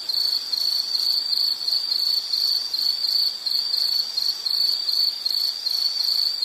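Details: Unbroken high-pitched insect call made of fast, evenly spaced pulses on one tone, the level gently rising and falling; only faint hiss behind it.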